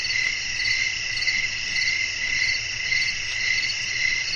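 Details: Crickets chirping in a nighttime nature soundscape with blowing wind, offered as relaxing sleep sound: a steady, high, shimmering trill pulsing roughly twice a second, layered in several bright bands over a faint low hiss.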